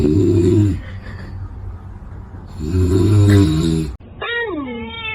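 A kitten gives a drawn-out meow that slides downward in pitch after low, rumbling sounds.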